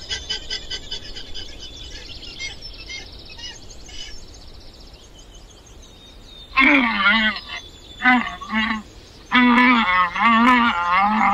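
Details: Domesticated llama, a South American camelid of the Andes, giving loud, harmonic, wavering calls in repeated bursts during the second half, after a quiet opening with faint high chirping in the background.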